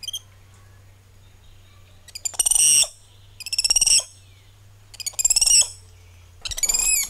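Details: Spider monkeys calling among the treetops. Four loud, shrill, stuttering screeches begin with quick pulses and swell into harsh cries, spaced about one and a half seconds apart over a steady low hum.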